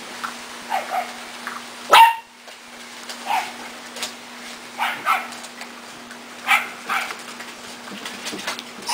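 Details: Jitterbug's puppies, eating dry food, recorded 14 April 2008; one short high yelping whimper cuts through steady clicking and crunching of kibble and bowls, with soft scattered squeaks before and after.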